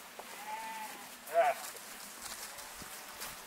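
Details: Six-month-old bottle-fed Romanov lamb, born on 1 April, weighing about 26 kg; a drawn-out harmonic bleat followed by a short, louder wavering bleat, with a person calling to it and some rustling nearby.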